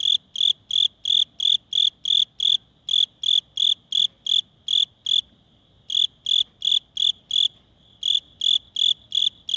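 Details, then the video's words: Cricket chirping by rubbing its wings during a cold spell, a loud, regular train of short high chirps roughly three per second, broken by two brief pauses, with a thin steady tone underneath and quiet surroundings. "귀뚜라미 울음소리"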